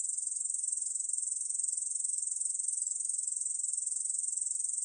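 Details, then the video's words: Korean bush cricket song from a 2020 National Institute of Biological Resources recording: a continuous, high, shrill buzz made of rapid, even pulses, about three per second in the loudness pattern, with nothing else audible. "중베짱이, 여러번 듣기, 곤충소리"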